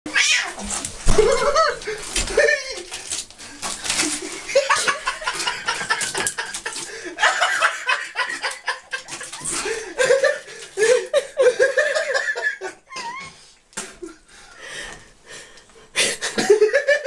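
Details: Kittens stuck in a slippery bathroom, unable to jump out, mewing again and again in short rising-and-falling cries, mixed with human laughter and talking throughout.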